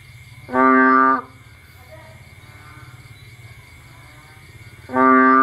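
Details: Bullfrog calling on a rainy night in Cambodia, out to find food: two loud, deep, moaning harmonic calls, each about half a second long, spaced about four seconds apart, over a steady low hum.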